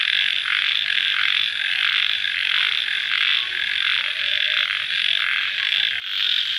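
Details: Crickets at night just after rain, a dense, steady high buzzing chorus that swells and dips in soft pulses about once a second, with no other clear sounds.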